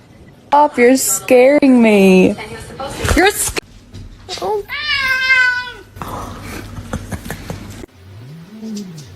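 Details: Domestic cat meowing in a run of drawn-out, wavering cries, some rising then falling, broken by short gaps, with human voices and clatter in between.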